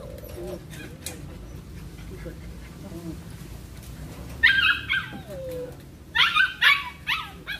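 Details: Belgian Malinois in cone training: quiet stretch with a faint voice and soft whine, then two bursts of shrill, rapid yelping barks near the end.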